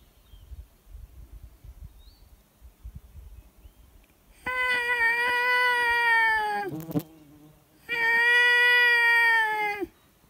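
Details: Wolves called in to close range at a high mountain lake: two sustained, even-pitched howls of about two seconds each, separated by a short rough burst, each tailing off downward; quiet outdoor rustling before them.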